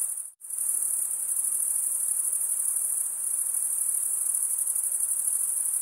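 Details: Crickets chirping by stridulation, wing rubbed over a comb-like row of teeth: after a sudden brief silence near the start, a steady shrill high trill resumes and runs on unchanged, with only faint hiss underneath.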